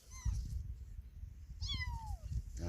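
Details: Kitten that lost its mother gives two high meows, a short one and then a longer call that slides steadily downward, with low rumbling noise underneath.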